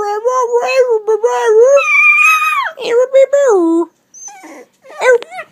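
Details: Pet Dachshund reacting to a sound that drives him nuts, producing a long, tonal, wavering whine-howl that rises then slides down over nearly four seconds, followed by short yips while a person calls to him.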